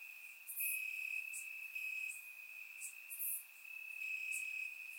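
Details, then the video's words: Crickets singing at night in summer grass in Bulgaria, surround recording; an unbroken high-pitched trill carries through, with short, very sharp chirps popping out about every second and the louder pulses coming and going. "Cricket Sounds - Crickets Chirping at Night"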